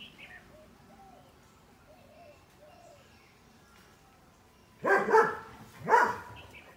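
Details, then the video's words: A dog barking, described as a puppy: two loud, harsh barks about a second apart after a quiet stretch with faint bird chirps. "Dog | Barking"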